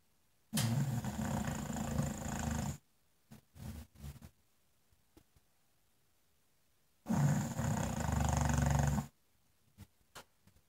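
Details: Snoring English Bulldog lying in front of a fireplace: two harsh, gravelly, low-pitched snores, each about two seconds long and about six seconds apart, with faint short snuffles in the quiet between.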